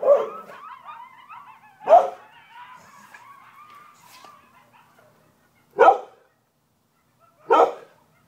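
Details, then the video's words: Coyotes in Broken Arrow: a wavering chorus of high yips and quavering howls fades out over five seconds, cut by loud, sharp dog barks at intervals of about two seconds. "Coyotes in Broken Arrow"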